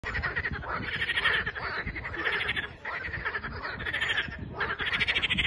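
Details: Frogs singing on 21 April 2023, a dense chorus of rapid pulsed trills in long overlapping bursts, swelling and dipping in waves with brief lulls between, over a low steady background rumble.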